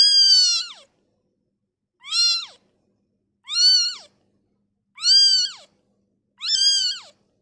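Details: Kitten just born and taken from its mother calls repeatedly: five strong, clear meows with arched pitch, spaced one to two seconds apart, nothing else audible.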